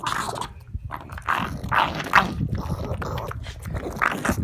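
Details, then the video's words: Pug eating broccoli, making weird noises: irregular snorty, breathy grunts and snuffles mixed with crunchy chewing, bursts arriving unevenly about every half second, with soft scraping sounds in between. "Pug makes weird noises while eating broccoli"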